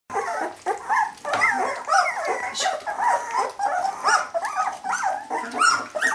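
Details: Jämthund puppies at a kennel in 2012 keep up a constant overlapping chorus of high whines and yelps. Short rising and falling squeals tumble over each other with barely a pause.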